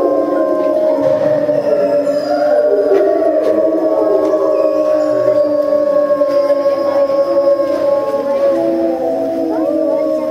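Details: Timber wolves in a zoo enclosure at Tama Zoological Park, Japan, filmed September 2015, howling together after a meal: several long, steady, overlapping tonal howls at different pitches, some sliding, forming a sustained chorus.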